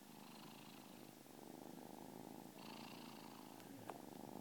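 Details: Close, continuous purring from a kitten, likened to a little jackhammer; a rough low rumble swelling on each breath, with a couple of faint clicks near the end.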